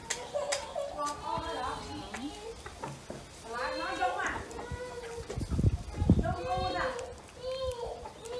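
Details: Several hungry kittens mewing over a meal of fish and rice, repeated short harmonic cries overlapping one another, with thumps and background clatter in between.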